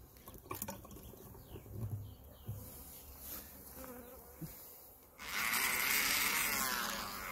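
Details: Western honey bees buzz around a beekeeper working open hives, with some bees from another hive, while a man talks quietly nearby as he adds protein paste.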